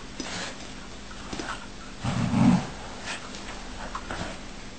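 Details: A dog that wants his bed back gives a single low, rough growling rumble lasting about half a second midway through, with faint scattered rustles before and after over steady low hum.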